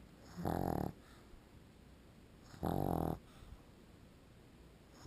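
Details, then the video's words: Sleeping pug dog snoring indoors: two loud, rough, rasping snores about two seconds apart, each lasting under a second, broadband and harmonic, with quiet breathing between. "Perro Pug Roncando cuando Duerme"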